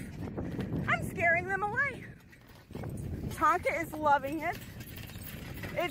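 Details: Tonka the Alaskan Malamute hauling a beach bike beside a river, voicing two clusters of quavering, rising-and-falling howled yodels separated by a pause, against steady rough background noise from the ride and water.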